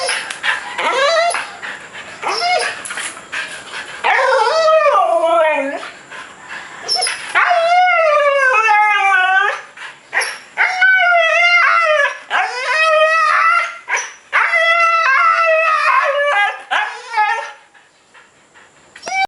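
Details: A newly adopted, previously neglected 3-year-old male Siberian Husky makes warbling, gargling yowls that waver up and down to get his owner's attention.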